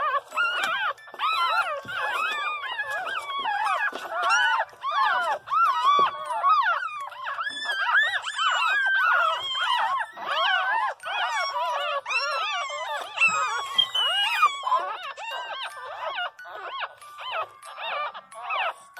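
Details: Several young Pinscher pups wail and whimper at once, a dense tangle of wavering, moaning cries that rise and dip in pitch almost without pause, loud and continuous for the whole stretch.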